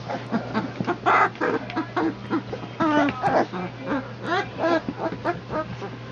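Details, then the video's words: A pack of three-week-old puppies, born September 22, 2014, from Legendary Phantom and Lavish Habits, fight off 'The Great White Shark': a run of squeaky, harmonic yips and little rasping growls in quick bursts, with faint voices behind. "A PACK OF 3 WEEK OLD PUPPIES FIGHT OFF THE GREAT WHITE SHARK!"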